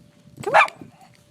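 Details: Bella, a Schnauzer playing and diving in the snow, lets out a single short, sharp bark, loud and bright, with a person's voice calling to her just before and after.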